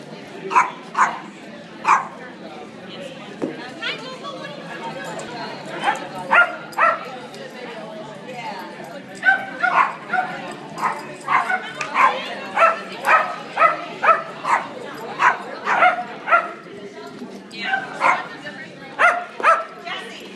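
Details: Dog at a dog social hour, barking to get another dog's attention: a string of sharp, high barks, some in quick clusters, many repeated about every half second, over a steady hum of people talking.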